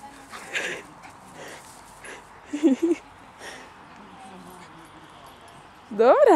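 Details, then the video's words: During play between Fergie, a West Highland White Terrier, and a Hovawart puppy, a brief pair of yips gives way to a loud, wavering whining yelp at the end. Quiet Polish speech comes before it. "My westie Fergie play with puppy of Hovawart"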